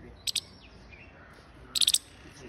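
A Siberian chipmunk gives sharp, high chips, a quick pair followed by a rapid burst of four.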